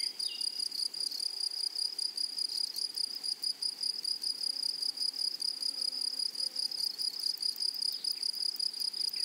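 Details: Wild grasshoppers calling over a flowery prairie meadow, a continuous shrill, pulsing trill, tightly packed chirps running without pause, with brief faint bird notes in the background.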